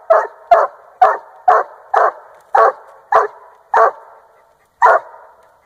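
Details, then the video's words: Treeing Walker Coonhound, a young 1.5-year-old male, treeing a raccoon while hunting in Northern Missouri; loud, chopped barks repeated about every half second, each bark a short burst with a slight echoing tail, a gap near the end. "Bonecollector dog Treeing Coon."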